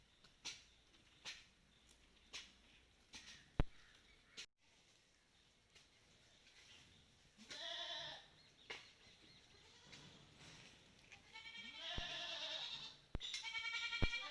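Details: Malabari goats taken outdoors on a farm bleat in long, trembling, nasal cries, one near the middle and two overlapping toward the end, after a stretch of sharp knocks and clicks.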